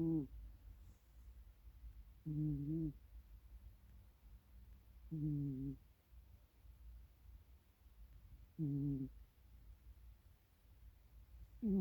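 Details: Snoring pet cat, its power snoring likened to a world champion's: low, steady hum-like tones with rich overtones, four bursts of under a second, each about three seconds apart, over faint room hiss.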